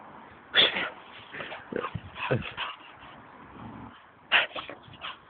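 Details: Pet dog, excited and wanting a run around, gives a sharp high yelp near the start and another near the end, with softer whimpering noises between; human voices and household noise underneath.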